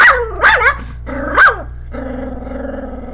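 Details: Pet Pomeranian barking at its own picture on a screen: three sharp, high, bright barks in the first second and a half, then a steady, low, rumbling growl, over a constant low electrical hum.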